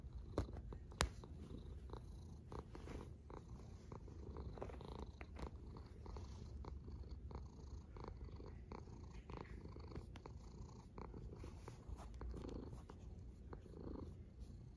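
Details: Quiet, continuous low snoring from a single cat, a soft rumbling drone with faint breathy texture and a few scattered clicks.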